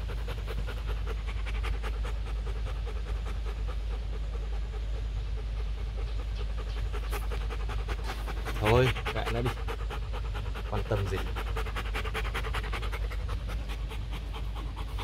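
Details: Rottweiler Bruno, a male stud dog kept at a kennel in Thúy Lĩnh, Hoàng Mai, Hanoi, pants in quick, even, rhythmic breaths throughout, with a short burst of human voice midway and a constant low hum underneath.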